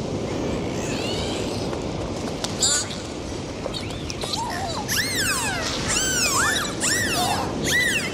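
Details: Dolphins recorded underwater during a dive, giving a series of arching whistles that rise then fall, overlapping in quick succession in the second half, over steady rushing water noise.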